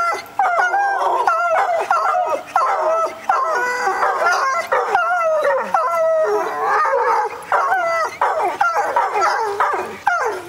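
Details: Two wolfhounds, Eleanor and Franklin, howling in response to a siren in June 2009; overlapping wavering howls with rising and falling pitch, broken by short yips, continuous through the clip with brief pauses.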